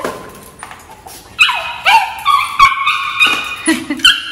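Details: Excited Maltese puppy Cherry greets her returning owner after ten days apart, giving loud high-pitched whines and yelps that rise and break, several in quick succession after a quiet start.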